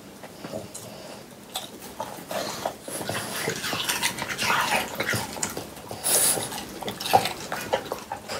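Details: Three French Bulldogs eating watermelon indoors in summer, recorded as an ASMR clip. Soft, wet chewing and crunching bursts build up in a rough, uneven rhythm over low room hiss.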